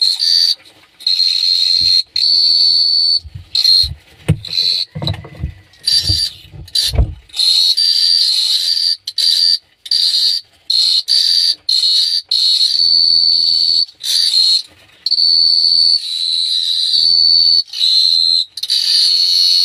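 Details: Crickets chirping at night in Phteah Prey: a steady high trilling in long bursts broken by short silences, with soft low thumps in the opening seconds.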